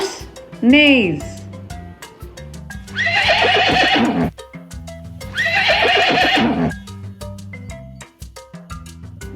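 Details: Horse whinnying: a short high squeal at the start, then two long, shaky, descending neighs with rapid vibrato, each over a second long, set against a continuous background music track.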